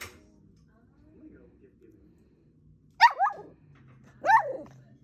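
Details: Toy poodle begging for a snack: after a quiet stretch, two sharp, high yappy barks about a second apart, each with a quick falling tail; a person gives commands like "wait" and "sit" nearby.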